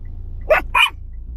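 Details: A Yorkshire Terrier barking indoors: two sharp, short, high-pitched yaps about a third of a second apart, over a low steady background hum.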